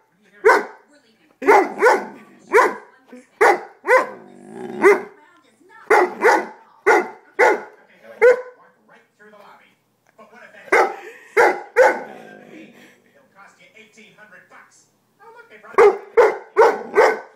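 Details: A pet dog told off for sitting on its owner answers with sharp, repeated barks in quick clusters, broken by short pauses and moaning grumbles, while the owner talks over it.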